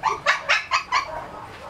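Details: Shih Tzu puppies on a raw meat, bone and fat diet give five short, sharp yelping cries in quick succession, then fall quiet amid low room noise.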